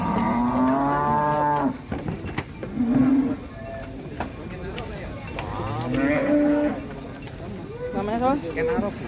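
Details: Cattle coming down from a truck at an Indonesian contest: a loud drawn-out moo at the start, then shorter moos spaced through the scene, with voices, knocks and vehicle noise around them.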